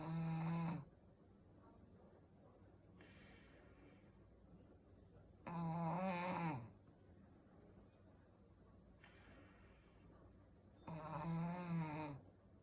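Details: Snoring Shih Tzu in a quiet room, loud gravelly inhalations of about a second alternating with faint hissing exhales, about four seconds apart.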